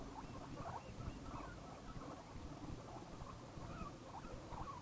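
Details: Happy guinea pig gives a run of brief, muffled squeaks and chuttering notes, closely spaced and uneven, against constant hiss and a faint high-pitched tone.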